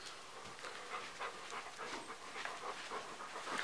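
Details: Golden retriever puppy indoors, hunting for treats folded into a blanket during a brain game to relieve boredom; quick, soft, rhythmic panting and sniffing bursts repeated several times a second, faint, with light rustling of fabric.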